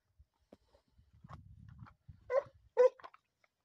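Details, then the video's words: Segugio named Macù del Faegolo in hare training: faint scattered yelps, a low rumbling patch, then two loud barks near the end, with soft clicks between. "SEGUGIO IN ADDESTRAMENTO su lepre"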